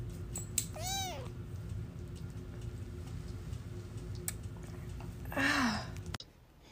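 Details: Pet cat in a funny cat compilation giving a short arched meow early on, then steady low room hum with scattered knocks and a brief second meow near the end.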